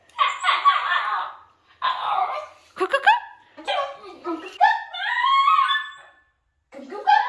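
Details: Pet female basenji vocalising indoors as preparations for a walk begin: a run of warbling, yodel-like calls that rise and fall in pitch, split by short pauses, answering a woman who keeps asking in Russian about going for a walk.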